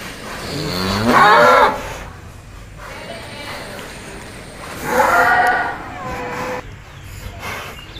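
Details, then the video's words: An extreme bull rages during training, said to be getting ready to challenge a rival, giving two loud drawn-out moos about four seconds apart, with background music and people talking. "SAPI EXTRIM HALILINTAR NGAMUK BERLATIH SIAP TANTANG PENTON"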